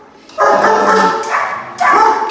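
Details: A black female German Shepherd, almost 3 years old, with a history of nipping people, kept alone in a calm area during an assessment, gives two loud, harsh barks, the first drawn out, after lunging at the door.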